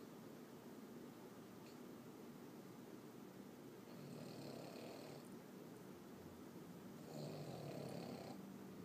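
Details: Boston Terrier snoring loudly: a steady, low rasping drone of rapid rhythmic breaths, swelling louder in breathy surges around the fourth and seventh seconds, with a faint higher hiss riding on the louder breaths.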